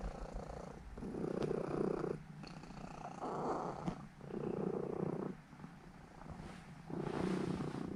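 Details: A seven-year-old female Norwegian Forest Cat purrs steadily while kneading and settling to sleep indoors; a low, rumbling purr swells and fades in breath-length phrases, about five rounds in eight seconds.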